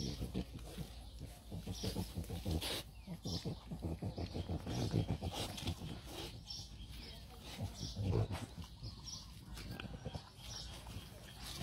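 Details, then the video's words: French Bulldog puppies out in the morning eating grass; rapid, rhythmic snuffling grunts in close bursts, strongest in the first three seconds, then softer snorts and rustling continue. "ลูกหมูกินหญ้า เฟรนบลูด็อก"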